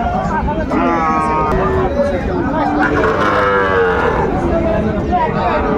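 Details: Friesian and crossbred bull calves at the Raniganj cattle market in Dinajpur, 26 December 2024: several overlapping drawn-out harmonic moos, some wavering, over steady crowd chatter and market bustle.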